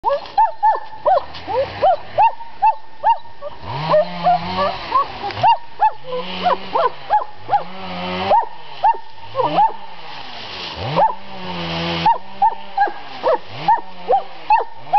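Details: Dog at a summer home in Estonia barking repeatedly: short, sharp, arched yaps about two per second, with brief pauses where a low human voice and other sounds mix in.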